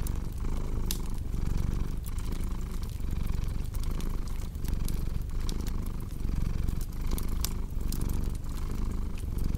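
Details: Domestic cat purring in a steady low rumble that swells and eases with each breath, roughly every second, mixed with the sharp pops and crackles of a cozy fireplace in a relaxation recording.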